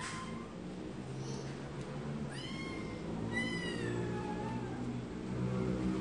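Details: Cats meowing: a faint early meow, then two stronger rising-falling harmonic meows close together midway, over a constant low droning background hum.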